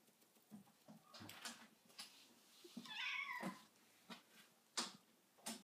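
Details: Pet cats Manchitas and Sacha stirring awake after sleeping; one gives a single drawn-out meow that rises then falls, amid scattered soft thumps and rustling indoors.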